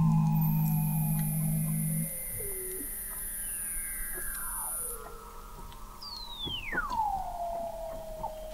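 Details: Under Antarctic sea ice in McMurdo Sound, November 2017, an observatory 21 m deep records Weddell seals: a steady low tone and a high sustained whistle, then gliding downward calls and one steep swooping descent.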